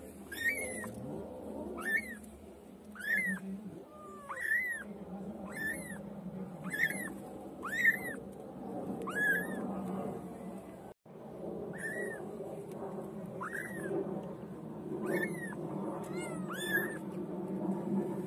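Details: White female pet kitten meowing over and over, roughly a dozen short, high, arched mews, about one per second with a brief pause midway. A steady low household hum runs underneath.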